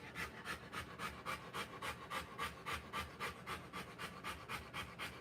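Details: Panting from a Rottweiler during the live birth of her puppies: fast, even, breathy huffs, close to four per second, keeping a steady rhythm throughout over a low background hum.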